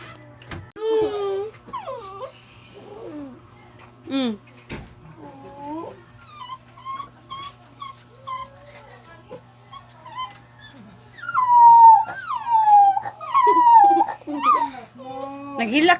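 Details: Dog whimpering and crying indoors: a string of short, high, wavering whines and squeaks roughly once a second, growing louder toward the end into sustained quavering cries, with a faint low hum throughout.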